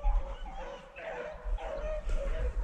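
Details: On a South Carolina rabbit hunt on 22 February 2020, a pack of beagles chasing a cottontail rabbit bays in the distance, with long, drawn-out howling notes rising and falling.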